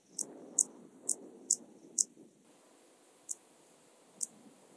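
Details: Song of Dociostaurus brevicollis, the Intermediate Cross-backed Grasshopper, in Zalahalap, Hungary, on 18 July 2022. Five crisp high-pitched clicks come roughly every half second, then two more after a gap.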